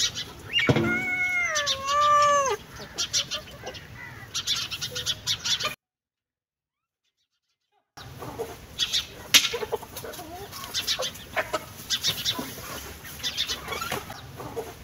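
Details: A single long meow from a cat wavers and then falls away over roughly two seconds, followed by a gap of silence and then irregular sharp clicks and taps.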